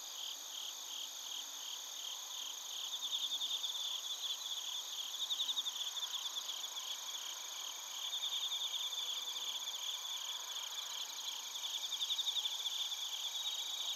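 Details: Chirping of bell crickets and crickets in Narita, Chiba Prefecture, Japan, recorded on a TASCAM Portacapture X8. Shrill pulsed bursts swell and fade in waves every few seconds. A constant high insect drone runs beneath them.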